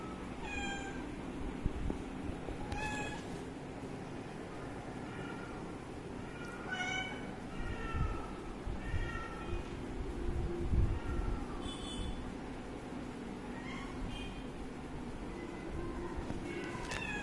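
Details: Kitten at its water, meowing repeatedly: thin, bent, harmonic calls spaced every second or two, some brief and clipped, against a loud rumbling low-pitched background noise.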